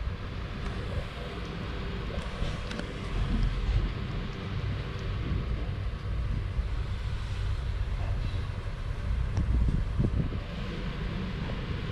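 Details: Steady low rumbling dominated by wind and traffic-like noise, with scattered faint knocks and no animal calls.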